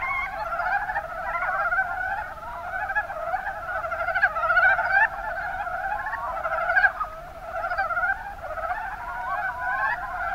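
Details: Mountain brown frog chorus recorded in Kumamoto's Kuma Basin, Japan, with numerous frogs trading rapid, clucking croaks that overlap continuously, a few louder calls standing out near the middle.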